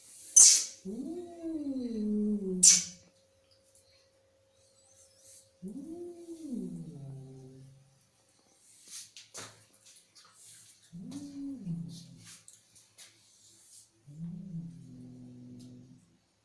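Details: Angry domestic cat producing four separate falling moans, growing shorter and lower, spaced by quiet gaps, with sharp clicks and rustling handling noises between them.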